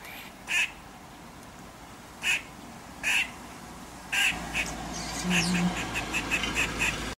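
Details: A female Eastern gray squirrel, high on a radio transmission tower near her drey, gives harsh, duck-like alarm barks at a domestic cat, spaced at first and then coming faster.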